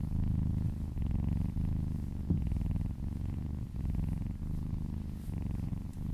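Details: Massaged kitten purring as she licks down a person's arm; low, throbbing purr with rhythmic breath cycles under a second long and a small tap near the middle.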